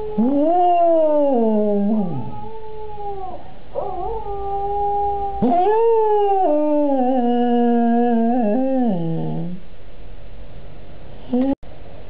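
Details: Higgins, a cocker spaniel, sings along after hearing another cocker spaniel, Jodi, singing on a computer: long wavering howls with strong harmonics, rising then sliding down, two main drawn-out howls over ten seconds, then a short faint one.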